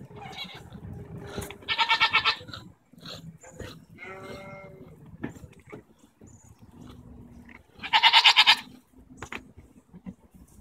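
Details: Goats in an argument, recorded June 24, 2014, tongue flapping noted; two strong tremulous bleats about six seconds apart, with softer grunting sounds, clicks and background human speech between them.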